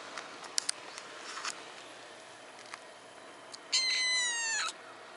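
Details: Tortoiseshell cat relaxing in the middle of a quiet road on Nekojima, a sparsely populated cat island in Japan, gives one clear, bright meow lasting about a second near the end, after scattered faint clicks and ticks.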